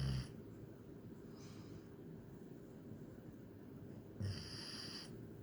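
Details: German Shepherd asleep, giving rough, harmonic snoring breaths: a brief one at the start, a soft faint snore near 1.5 seconds, then a long strong buzzing snore of almost a second near the end, steady low hum beneath.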